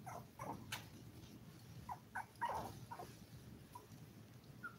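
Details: Five-week-old toy poodle puppies from a litter of seven, indoors: scattered short, high squeaks and whines come at irregular intervals over a low background rumble.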